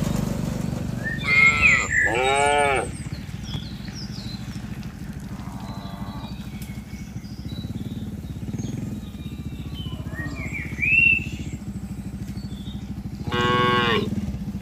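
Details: A tame herd of cattle being herded from a wide green field into a pen. A pair of strong moos comes early and another at the close, separated by quieter rumbling background and occasional bird chirps.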